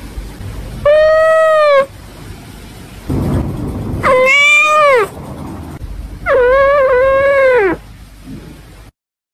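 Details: Pet cat giving three long, loud meows about two seconds apart, each lasting one to one and a half seconds. The voice is rich in harmonics, with a rise-and-fall wavering pitch. Soft rustling is heard between the calls.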